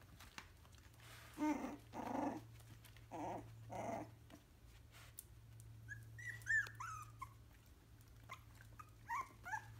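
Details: A three-week-old Yorkshire terrier gives a few rough, gravelly growls, then high, sliding whines and whimpers.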